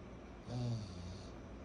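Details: Fourteen-month-old pug Kyro snores in his sleep, one short, low, gravelly snort-like inhale that fades into softer breathing, in a hushed room.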